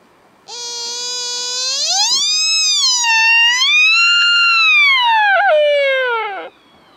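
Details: Sika deer stag at Nara Deer Park, Nara, Japan, during the October 2017 rutting season, recorded with a handheld camcorder and microphone: one long, rich harmonic whistle that rises, wavers at a high plateau, then slides down and breaks off after about six seconds.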